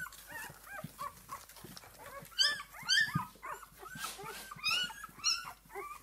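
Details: A litter of six-day-old puppies from Esmée whimpering and squeaking, rapid overlapping rising-falling whines with a few sharper, higher squeals standing out above the rest.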